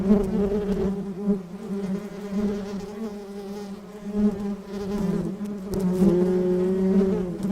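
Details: Bees buzzing while gathering pollen in Sri Lankan nature: a steady, low wing buzz that swells and fades as they fly close.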